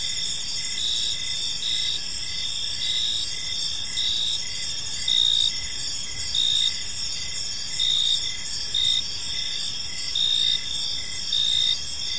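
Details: Park crickets at evening keep up a dense, high trilling chorus; from the middle on, louder chirp bursts stand out about every second over the constant shimmering buzz.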